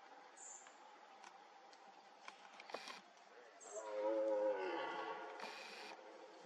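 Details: A red deer stag in Poland during the 2024 rut, briefly startled and standing a few metres away, gives a brief, deep, harmonic roar toward the camera amid background noise.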